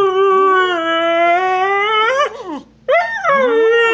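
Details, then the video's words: Female husky howling in complaint after another dog stole her bone: a loud, long, slightly rising tonal howl lasting about two seconds, breaking into a wavering yodel, a short pause, then a second howl that rises and falls. "Husky complains about stolen bone"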